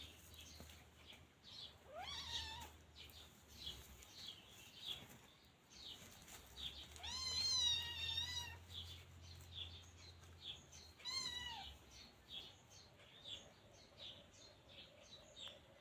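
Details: Scottish Fold kitten Look Tan, teething and biting everything, gives three separate drawn-out meows, each first rising and then falling, spaced several seconds apart over a faint low hum and quiet background.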